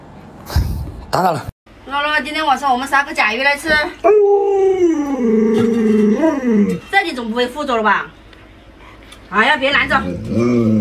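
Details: Luoluo, a pet Alaskan Malamute, reacts while its owner wears a mask to scare it. It gives wavering, talking howls, then a long steady howl held for about two seconds, followed by more rising and falling howls. Human voices sound in between.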